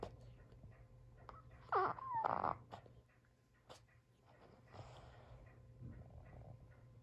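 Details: Sully the Boston Terrier complains, wanting play but not dropping his toy; a wavering high whine with a pitch wobble, followed by quieter grumbling breaths in a small room.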